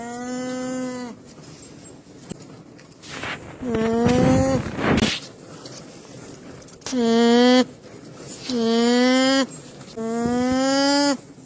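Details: Alpaca giving a series of drawn-out, buzzy, harmonic calls, each about a second long with a slightly rising pitch, repeated roughly every one to two seconds; a burst of noise and faint voices come midway.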